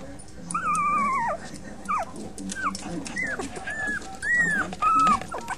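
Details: Young puppies, five in the litter, whining: a long level high whine that drops off, then several shorter bent squeaks and two brief strong whines near the end, over low rustling.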